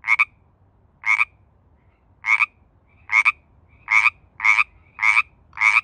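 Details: Pacific tree frog (Pacific chorus frog) in its mating season, giving raspy double-pulsed ribbits, widely spaced at first, then quickening to a steady run of about one every half second.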